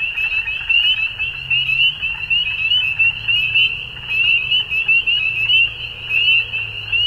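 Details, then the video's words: Dusk frog chorus in spring, Ontario, Canada; many shrill, high peeps overlap into a constant ringing chorus, with a faint low hum in the background. "Frog Sounds At Dusk"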